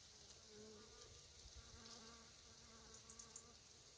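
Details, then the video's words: On raspberry fruits in October, honey bees hum in short, wavering low buzzes that come and go over a faint hissing background with a few light ticks. "co w październiku pszczoły robią na owocach malin"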